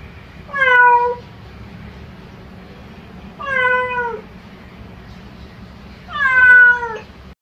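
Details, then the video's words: Domestic cat meowing to call its owner: three drawn-out, slightly falling meows with rich harmonics, each under a second long and spaced about three seconds apart, over a low steady background hum. "Gato miado miau miau chamando a dona"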